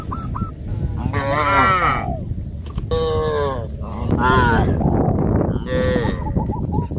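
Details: Cows of a herd on a traditional village farm, heading towards green grass fields: several drawn-out, harmonically rich moos in succession, each about half a second to a second long, over steady rumbling background noise with short high chirping calls between them.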